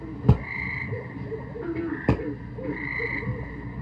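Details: Tree frogs, about an inch and a half long, sing at a frog pond: short, steady mid-pitched trills about every two seconds over a low background rumble, with a couple of sharp clicks.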